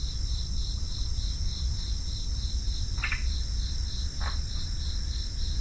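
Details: A dense, even trilling of crickets holds throughout, rapid and high. Two short scratchy chirps stand out around the middle against a low rumbling background.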